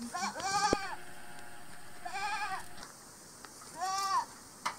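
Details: Angora goats bleat during shearing at Dillner Hillside Farm: three wavering, quavering bleats about every one and a half to two seconds, each rising then falling, with light clicks and handling noise between them.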